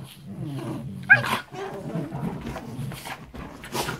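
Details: A 6-month-old Shiba Inu growls in low, rumbling bursts while rough-playing with a 4-year-old Siberian Husky, with sharp yips breaking through.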